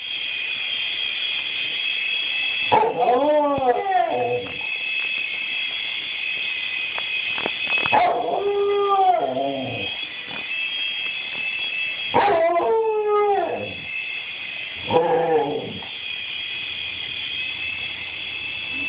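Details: Pet dog barking at a toy helicopter: four bursts of yelping, howl-like barks with falling pitch, spaced several seconds apart, over a steady high mechanical whine from the helicopter. Recorded on an Android phone.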